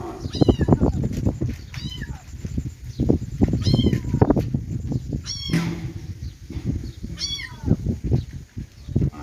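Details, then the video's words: Several kittens' meows, high-pitched and wavering, rise and drop in short arcs roughly every one to two seconds, with constant low thudding and rustling underneath. "kittens meowing"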